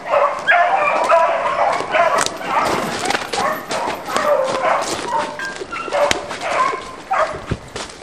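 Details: Beagle pack chasing roe deer during a stick-driven hunt; high, quavering yelps and bays overlap from several dogs, rising and falling in bursts.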